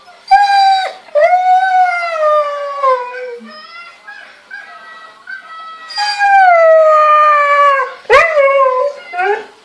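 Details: A male Siberian Husky gives long, wavering howls that slide downward in pitch while watching footage of himself mating with a female; he seems lovesick and to be missing her.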